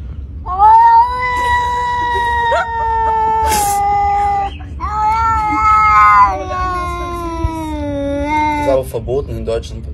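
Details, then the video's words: Unneutered domestic cat giving loud, prolonged yowls, three long wailing cries that hold steady then sag in pitch, ending in a short rough stutter; low background hum throughout. "I have never found a cat so noisy"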